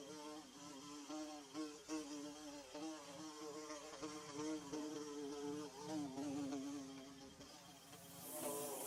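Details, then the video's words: Nest-building bees produce a dense, unbroken buzz. Several pitches weave around one another, with small surges in volume. A faint hiss rises near the end. "Bee Buzzing"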